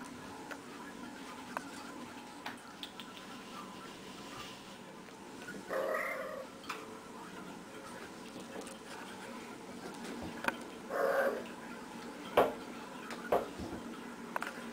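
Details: Playful female cat rolling around, making two brief, bright chirping calls several seconds apart, with soft rustling and tapping movement noises in between.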